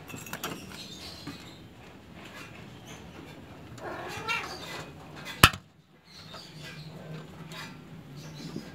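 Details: Persian kittens, described as cute and spoiled, give a single drawn-out harmonic meow that rises then falls near the middle of the clip. Rustling handling noises, a sharp click and a steady low indoor hum surround it.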